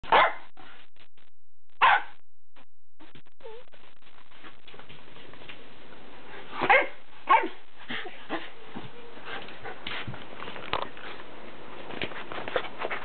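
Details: Pet Japanese midget Shiba Inu, a nine-year-old female, calling to welcome her owner home: sharp barks near two and seven seconds, with softer scattered yips and bark fragments over a steady background hum.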